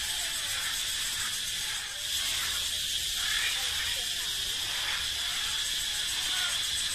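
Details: Echoing forest chorus of male cicadas, a sound said to display their strength: a sustained, sizzling high-pitched whine with a short dip in loudness near the start, then steady.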